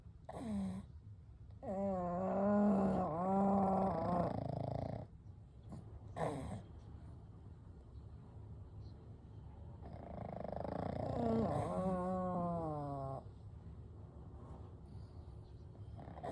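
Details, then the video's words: Three pugs named Kou, Gen and Shun sleeping together, gentle snoring and breathing: long rasping, harmonic-rich snores with wavering tones, two main bouts separated by quieter breathing. "A Night with Sleeping Pugs - Gentle Snoring & Breathing"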